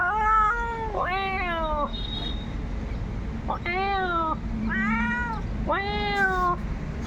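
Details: Cat responding to someone mimicking its call and walking over; five arching meows with a pitch that rises then falls, a quiet gap in the middle, and faint low hum behind.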